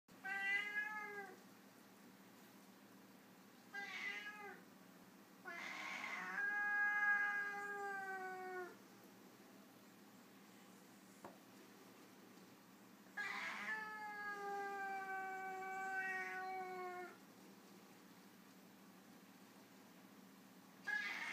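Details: Foreign White cat, a white Siamese-type cat, in a disagreement: long harmonic meows, some drawn out for about three seconds, separated by quiet gaps, with a few short sharper calls.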